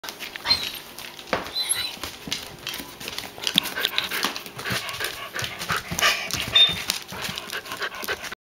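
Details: A Shetland Sheepdog puppy makes quick breathy huffs, pants and small whines, odd worried sounds that seem almost like talking.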